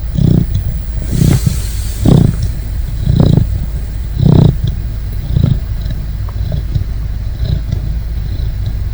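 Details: Great Dane puppy sleeping and snoring: deep, rasping low snores roughly once a second, some breaths louder than others, with a steady low hum underneath.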